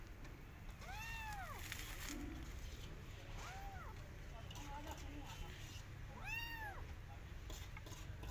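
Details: Persian cat with her adopted kittens in a garden, watching rabbits; three drawn-out arched meows spaced a few seconds apart amid heavy low-pitched background noise and faint voices.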